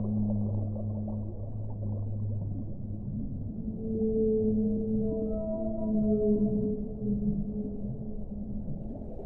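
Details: Whale sounds: long, low humming moans open the stretch, then a stack of higher, sustained tones appears midway, overlapping and shifting in pitch above a constant deep rumble.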